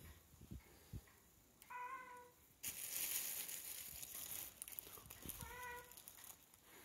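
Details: A female Siamese cat, smelling sea fish, begs for it with two clear, tonal meows, with a burst of rustling between them; she keeps meowing until she gets it.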